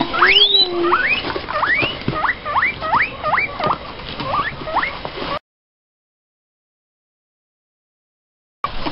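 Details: Guinea pigs in an adoption rescue, calling as hay is brought at feeding time; a string of sharp rising squealing whistles repeated about twice a second for five seconds, with a person's voice at the start.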